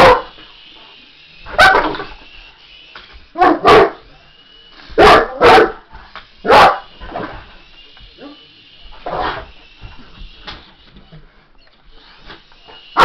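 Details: English Mastiff facing an RC helicopter, giving irregular deep barks, some doubled, louder in the middle and fading toward the end, while the toy's motor whines steadily and faint voices sound in the background.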